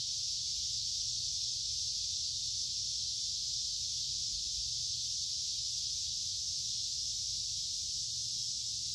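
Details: Summer cicada chorus along a wooded creek on a warm, humid day: an unbroken, shrill, sizzling buzz from many insects sustains evenly for the whole stretch, with only a faint low hum underneath.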